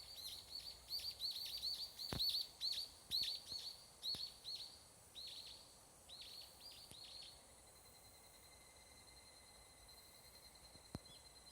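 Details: Higurashi cicada (evening cicada, Tanna japonensis) singing at dusk in Japan's summer mountain forest: a rapid series of high, ringing pulses that loosens and fades over about seven seconds. A steady high insect drone continues underneath.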